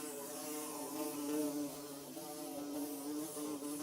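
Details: Nest-building bees hum continuously, several buzzing tones overlapping and gently wobbling in pitch, a dense close drone with no other sounds.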